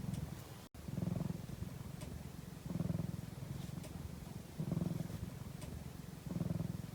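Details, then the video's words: Domestic cat purring steadily while napping, a deep vibrating rumble rising into louder pulses about every two seconds with quieter stretches between, with a few faint ticks. "ひたすらゴロゴロ音を奏でるお昼寝中の猫｡Cat’s purring sound."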